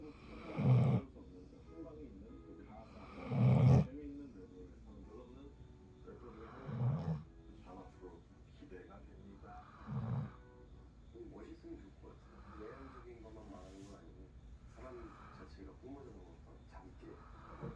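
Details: Sleeping Golden Retriever snoring: deep, rasping low snores about every three seconds, four loud ones in the first ten seconds, then softer, fainter breaths, over a quiet indoor background.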